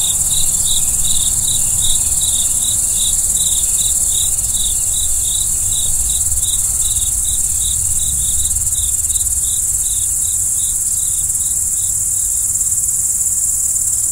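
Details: Cricket chirping at night: rapid, evenly spaced mid-high pulses repeat about three times a second for the whole stretch, layered over a constant very high trilling chorus and a low rumble.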